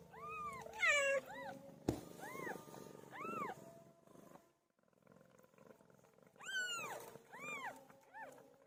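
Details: Pilo the cat calls during birth with a series of arched, tonal meows, first a cluster of quick cries, then a quieter stretch with a low hum, then a louder burst of three or four meows.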